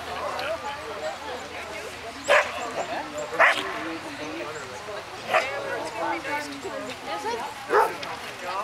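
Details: Storm, a tricolour Border Collie, running a standard course at an AAC agility trial hosted by Jump 2 Q in fall 2011; four sharp, isolated barks spaced a second or two apart ring out over continuous murmuring crowd chatter.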